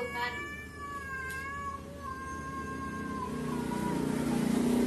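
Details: Domestic cats seemingly talking to each other: a long, drawn-out wavering yowl with rich harmonics that holds for about three and a half seconds, then fades under a low steady background hum.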